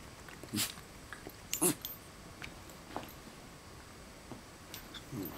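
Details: West Highland White Terrier puppies wrestling and playing with their parents indoors: short scattered yips and rough play bursts, a few close together, with quiet room noise between them.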